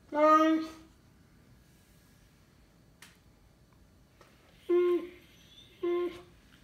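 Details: Cane Corso named Lord Loki, indoors, looking for his chewed-up toy; three harmonic, voiced barks, a long first one then two shorter ones a second apart, with a faint click between.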